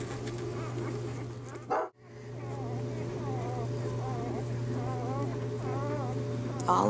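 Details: Newborn Bernese Mountain Dog puppies in their first days, while their mother Bear was still delivering the litter. Thin, wavering whimpers repeat in quick succession after a short knock, over a steady low electrical hum.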